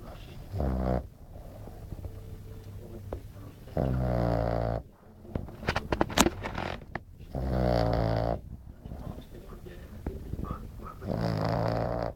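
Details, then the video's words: French Bulldog Glamy asleep at nap time, producing four loud, buzzing snores at uneven intervals of three to four seconds, separated by quieter breaths and a few sharp clicks. "Glamy bouledogue français qui ronfle"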